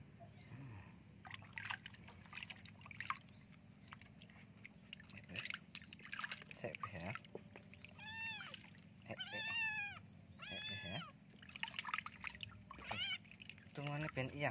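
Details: Kitten covered in fleas protesting while bathed, a run of three loud rising-and-falling meows about a second apart midway, amid pouring water, handling noise and a person speaking Indonesian.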